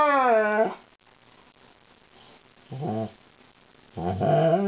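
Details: Lightning the female malamute voices her woe during brushing: a wavering howl fades out, then two shorter, rougher moaning calls follow after a quiet gap.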